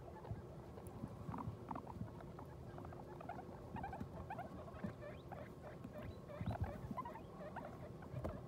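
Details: Guinea pig recorded just after giving birth to New Year's babies: many soft, short squeaks scattered throughout, some with small upward flicks, over a steady low rumble and light patter of movement.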